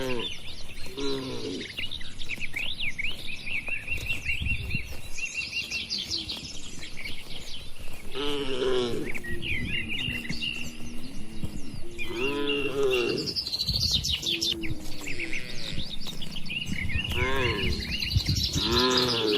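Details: Tame cattle kept in a spacious farm shed give several drawn-out moos with stacked harmonics, some rising and falling, spread through the recording while small birds chirp and twitter continuously overhead.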